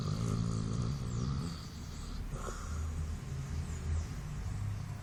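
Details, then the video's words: Sofia, a Basset Hound, snoring while asleep in her beauty sleep: low, rumbling, rattling breaths rising and falling in slow waves, with a brief wheezy rasp midway, and faint higher hiss in the background. "Basset Hound Roncando"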